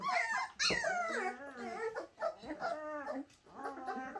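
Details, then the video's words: Bernese Mountain Dog puppies giving drawn-out, wavering whines and one sharp yelp, the cries sliding down in pitch and pausing briefly between bursts. "Shasta puppies Bernese Mt dog"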